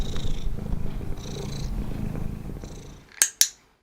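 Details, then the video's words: A domestic cat purrs with a low, steady rumble while accepting ear handling during reward-based training, having learned that handling predicts a reward (stroking); two sharp clicks follow, a clicker paired with food reward. "the cat learns that the handling predicts a reward and thus the handling may become rewarding in its own right as here where the cat is purring"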